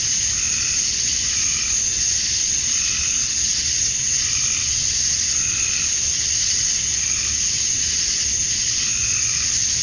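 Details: Male cicadas chirping to attract females at dusk on a summer night in Georgia, USA, outdoors: a steady, dense high-pitched hiss that holds without pause, with faint lower rhythmic pulses swelling in the background.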